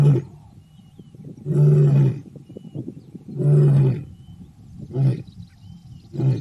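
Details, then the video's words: Lion in its natural habitat: two long, booming roars about two seconds apart, then two shorter, clipped roars as the bout winds down, all deep and rumbling over a low background hum. "Rugido do Leão | Som do Leão | Áudio do Leão"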